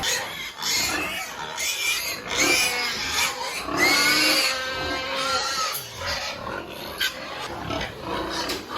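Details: Piglets being weaned from the sow on an integrated family farm in Penablanca, Cagayan Province, Philippines; shrill, harmonic-rich squeals rise and fall in overlapping bursts, with a faint hiss throughout.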